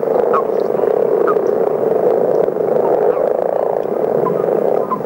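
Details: Common frog chorus, numerous individuals calling at once: a constant low purring hum with brief higher chirps popping up every second or so on top.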